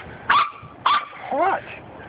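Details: Corgi puppies, a litter of six taken outside for the first time, give two sharp high yips about half a second apart, then a curving whiny squeal, with voices faintly behind.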